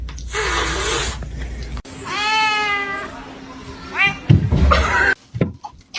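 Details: House cat lets out a long, steady, slightly wavering meow, then a shorter rising-falling mew a second later, over a low hum with a voice and clatter near the end.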